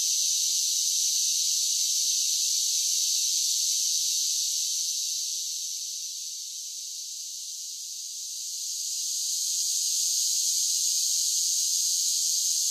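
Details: Singing cicadas in summer make a steady high buzz that fades a little past the midpoint, then rises again to its earlier loud, even drone.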